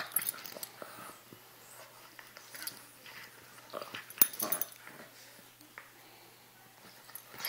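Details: Two puppies, Chewy and Sarge, playing indoors: short, scattered growly and whiny vocal bursts mixed with scuffling and clicking noises of rough play, with louder peaks near the middle and end.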